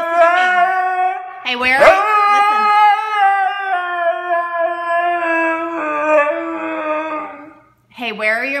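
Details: Being scolded inside the house about his Furminator, Siberian Husky Blu yells back: a long quavering howl with a sharp break near two seconds, steady harmonic tone after, then a short pause and a fresh rising cry, a person talking over him.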